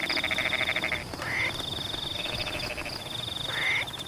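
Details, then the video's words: Frogs in rain-soaked rice fields give a fast pulsed rattle lasting about a second, then short rising croaks, with a continuous high insect trill and patter of rain behind. "The sound of rain water in Pematang rice fields is in tune with the sound of frogs"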